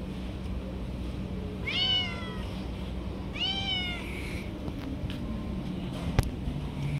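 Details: Stray cats competing for food as it is handed out. Two separate meows, each a short rising-then-falling wail about a second and a half apart. A quiet hum underneath, then a single sharp click near the end.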